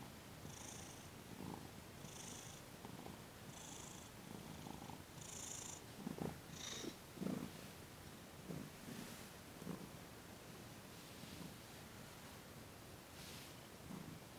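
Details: Thomas, a cat, purring during a massage and Reiki session in December 2021, his sensitive paws being worked on; a steady low rumbling purr with rhythmic breaths, faint high hissy bursts roughly every one and a half seconds.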